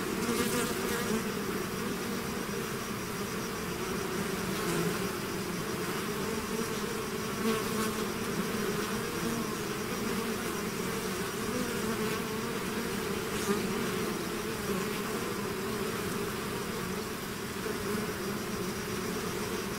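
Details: A bee swarm away from its hive makes a long, steady buzzing drone, deep and even, with faint brief flares as single bees fly nearer.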